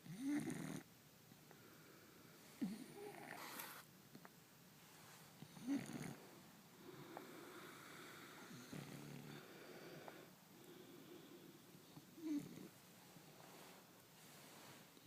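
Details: Marcus, a French Bulldog, snoring in bed with a person: soft, irregular snorting breaths and short raspy snores spaced a few seconds apart over a low steady room hiss.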